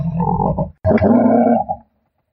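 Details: Giraffe calling with two deep, rough grunting bursts, the first lasting under a second, then a short gap and a longer, hoarse, harmonic-rich grunt that fades out.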